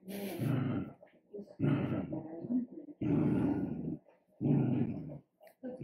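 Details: Dachshund producing harsh, throaty growl-barks, each burst roughly a second long, repeated about every one and a half seconds with near-silent pauses between, in an indoor setting.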